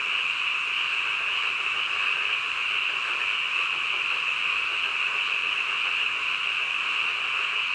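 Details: Frogs calling in the middle of the night, merging into a dense, unbroken chorus that holds a steady high-pitched trill throughout, with no pauses or other clear sounds.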